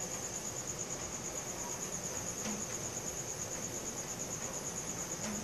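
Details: A cricket trilling at night, recorded with a Samsung Galaxy S4: bright, evenly pulsed high chirping flows continuously, with only a quiet hiss behind it.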